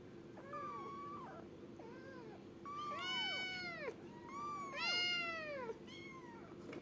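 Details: Kitten meowing repeatedly, about six thin, high, arching cries, some bending upward then falling, the loudest near the middle, over a steady low background hum.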